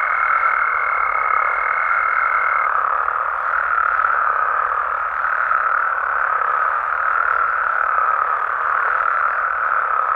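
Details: Mexican frogs heard at night. Dense overlapping croaking holds a constant level throughout, while a fine, high, even tone sounds for the first two and a half seconds and then fades out.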